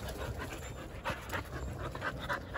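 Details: Jindo dogs on a December winter Saturday morning, panting in quick breathy bursts, with short louder puffs near the second and third seconds over a low background hum.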